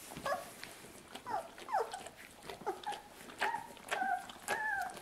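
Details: Lucy's two-week-old puppies feeding from their mother give a string of short whining squeaks, some sliding downward and others held level, separated by brief pauses, with faint rustling between calls indoors.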